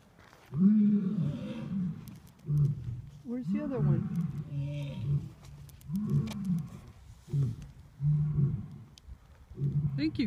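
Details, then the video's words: On Saturday, 26 December, at Turpentine Creek Wildlife Refuge, lions give deep, throaty roars that break into a run of repeated grunting bursts. "Lions roaring at turpentine creek wildlife refuge"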